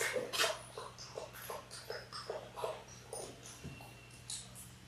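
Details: Six-week-old Labrador Retriever puppies, a litter of six born January 18, 2022, on a live puppy cam on February 28, give a quick run of soft, short whimpering squeaks, about three per second, faint and close together, over a low steady hum.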